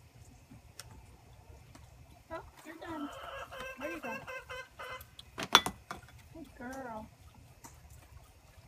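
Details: Orphaned Boer goat kids, six babies bottle-fed together from a wooden six-bottle feeder, recorded on an iPhone set on a gate; a run of stacked, nasal bleats, then one wavering, quavering bleat, while a woman speaks softly.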